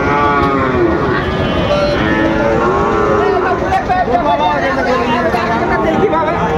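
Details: Sahiwal bull calves for sale at Raniganj market, Dinajpur, 6 June 2024: wavering, drawn-out lowing moos over a loud, constant background of voices and market bustle.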